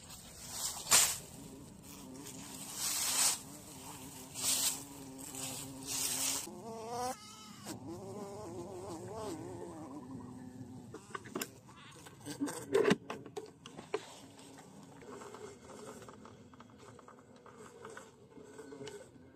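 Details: A bee handled after being caught in the bush buzzes on and off. The drone wavers and bends in pitch over several seconds, broken by loud crackling, tapping and rustling from handling.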